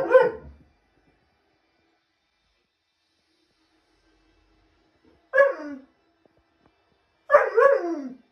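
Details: Alaskan Malamute vocalizing at a cat on the roof: three separate drawn-out yowling howls with falling pitch, one at the start and two after long silences, the last longest and wavering.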